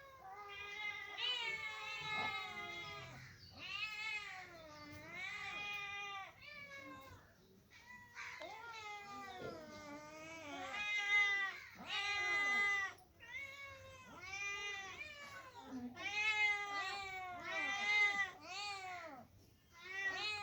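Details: Two kittens meow loudly and insistently, bright, high, rich-toned cries that rise and fall, packed in dense bursts with short breaths between.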